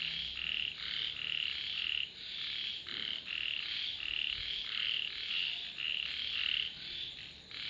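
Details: Dense frog chorus in which short grating croaks overlap into an almost unbroken stream, the loudness dipping briefly at about two seconds, with a steady high whine behind.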